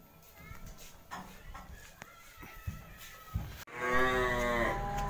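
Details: Newly arrived Simmental cattle being unloaded for sale, three head brought down at home: after quiet rustling and a few sharp knocks, a loud, deep, drawn-out moo with rich harmonics sounds for the final second and a half.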